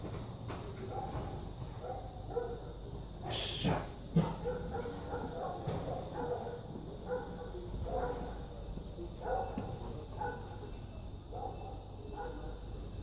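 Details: Tibetan Mastiff in Greece giving deep, short barks in loose bursts about every second, over a steady low rumble of background noise, with one loud broadband thump near the middle.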